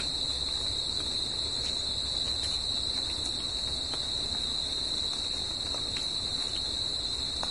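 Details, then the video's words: At night, crickets sing together in nature, producing a continuous piercing trill at one steady pitch, a second higher tone layered on top, and a quiet, even background hiss. "CRICKETS AT NIGHT"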